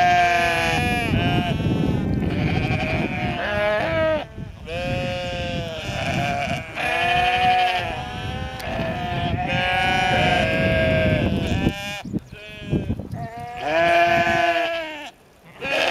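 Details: Sheep in an attack, bleating almost without pause: overlapping quavering, harsh cries follow one another rapidly, a nearly continuous chorus that breaks off briefly near the end.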